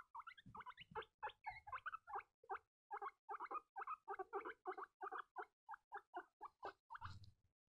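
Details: Baby guinea pigs squeaking: a fast, steady series of bright, harmonic squeaks, about three to four per second, clean and close with little background noise.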